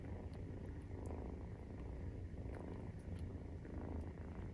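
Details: Maine Coon cat purring during nursing, with a 43-day-old kitten: a steady low rumble with soft rhythmic swells roughly once a second, close and indoors, with faint clicks above.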